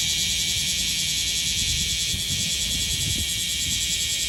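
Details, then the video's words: Bear cicada (Cryptotympana facialis) in Okinawa, Japan, a large cicada of 6–7 cm that sings from late June to mid-August: a dense, unbroken metallic buzz, loud and steady, with a faint low rumble beneath. "セミの鳴き声 クマゼミ Cryptotympana facialis"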